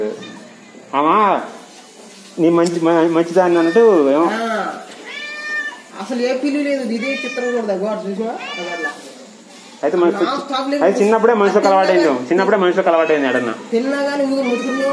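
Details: Friendly cat meowing over and over among people talking in Arabic, with loud arched, rising-and-falling meows, some drawn out and wavering, overlapping with speech and a clap near the start.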